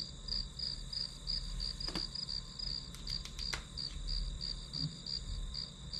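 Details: Grass insects chirping behind a one-hour study recording: rapid high pulses near three per second run steadily, while a cluster of sharp clicks and taps sounds around the middle.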